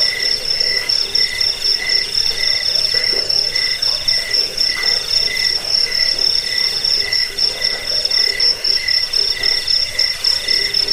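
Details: Several crickets trill without pause, a recording meant to drive off rats, help with sleeplessness and tutor songbirds; shrill, evenly pulsed chirps at a few distinct pitches, the highest line sharp and throbbing.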